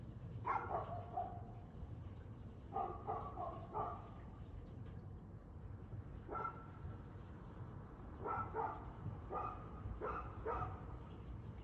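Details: Dog barking at 6:02pm on 2/6/2024: repeated short barks in loose clusters of two to four across the recording, set against a noticeable low-frequency rumble.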